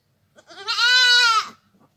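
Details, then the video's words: A single village goat bleat lasting about one second, rising into a full, harmonic, quavering cry and dropping off abruptly, against a quiet background. "goat sounds / really goat sound effect"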